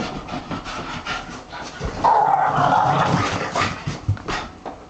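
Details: Pet Boston Terrier making strange vocal noises: soft snuffling at first, then a drawn-out, wavering whine-like moan lasting about a second, followed by breathy huffs.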